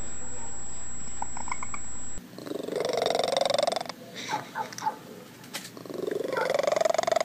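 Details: House cat heard with a steady purring rumble and a few short chirps, followed by slow, rising, whiny calls over background noise.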